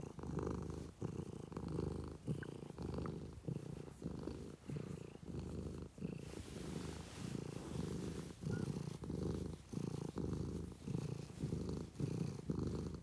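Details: Domestic cat purring steadily and deeply, a low rumbling pulse that swells and fades about once a second with each breath, in a quiet indoor room.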